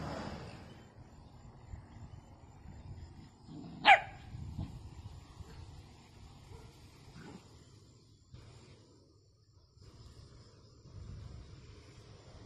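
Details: Miniature Dachshund, a sausage dog, gives a single sharp, loud bark in an otherwise quiet room, with faint low background rumble and a few soft noises before and after.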